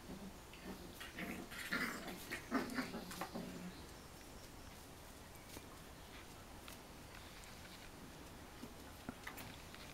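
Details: Bearded Collie puppies, five weeks and four days old, from a litter of eight males and one female, with their older sister India, give short rough yelps and grunts over the first four seconds, then it falls quiet apart from faint clicks.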